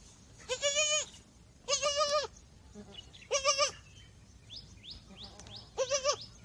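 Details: Baby goats on their first day on the farm after birth bleat in four quavering, high-pitched cries about a second apart. Faint chirps of farmland birds (partridge, sparrows, bulbul, myna) sound between them.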